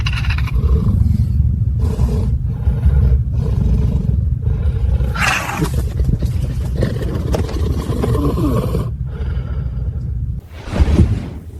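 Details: Caracal growls deeply and roughly in a low, rasping, hostile rumble broken by sharp hissing bursts, over a steady low background rumble; recording is described as a staged, digitally created recreation, not a real event.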